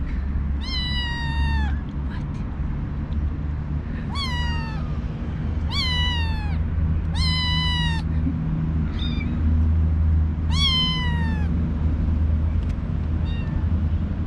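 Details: Morning meowing from newly arrived kittens in a kitten cage, including a very vocal male that keeps meowing even after feeding; six or seven high, slightly falling meows about every one to two seconds over a low background rumble.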